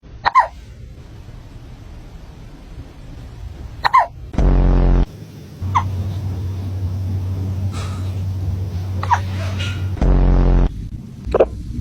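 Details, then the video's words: Cat hiccuping: short, sharp hiccups spaced two to four seconds apart, about five in twelve seconds. A steady low hum runs underneath, broken by two loud buzzing bursts. "cat hiccups"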